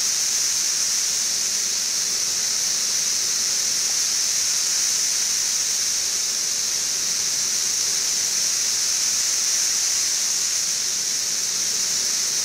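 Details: Frankfort, Kentucky, June 2008: the 17-year Brood XIV periodical cicadas, about two weeks after emerging en masse, less loud than before. They produce a continuous sizzling high drone, steady in loudness, alongside a running air conditioner roughly 20 feet away.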